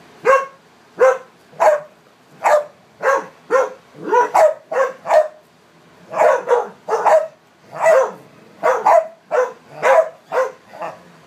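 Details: Playing dogs, four together of American Staffordshire, English Staffordshire and American pit types; short sharp barks repeated steadily about every half second throughout, with a brief pause near the middle.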